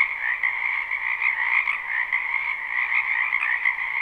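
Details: Dense chorus of many frogs croaking in a wetland behind a house in spring, live recording without looping; continuous trilling din with two bright bands, pulses swelling and fading about every second or two.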